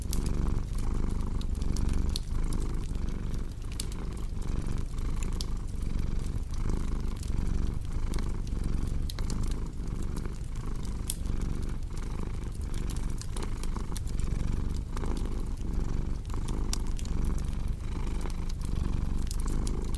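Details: Twenty seconds of steady low cat purring, gently pulsing with each breath, set against a constant crackle of burning logs in a fireplace.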